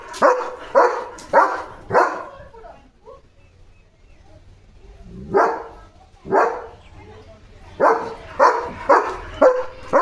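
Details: Bursts of rapid barking from German Shepherd Leo, excited by another dog outside: four quick barks, a pause, two spaced barks, then another fast volley of five, with light background rumble.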